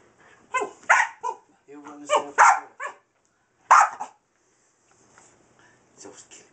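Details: Boston terrier mix dog excitedly chasing a laser light at home, several quick high barks and yips in clusters, then quieter, mixed with a person's speech.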